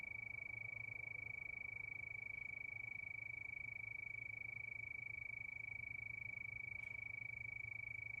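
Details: Crickets chirping at night under the moon, a steady, high-pitched, unbroken trill held at one pitch with fine rapid pulsing, faint low hum beneath and a brief soft click near the end.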